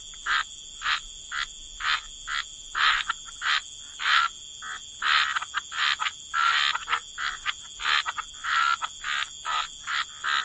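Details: Frogs croaking at a wetland edge: distinct rasping bursts, some short and some drawn out, spaced irregularly through the stretch, with a constant thin high whine in the background.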